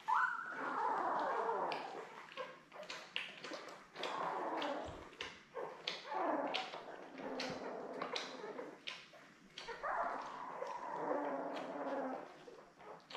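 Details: Newborn Labrador Retriever puppies, a litter of seven born May 24, 2021, with their mother Belle on a puppy cam on June 3; drawn-out wavering squeals and whines rise and fall, mixed with dense clicking, rustling nursing noises.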